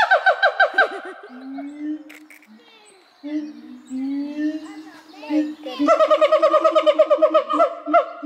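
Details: Captive siamang at Dortmund Zoo calling: fast, pulsing harmonic barks in a rapid rhythm open the sequence, give way to low steady booming hums, then a long rapid series of loud ringing pulsed barks returns over the booms.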